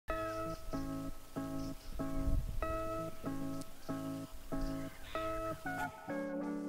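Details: Steady plucked guitar chords, strummed in a regular rhythm, with no animal sound heard.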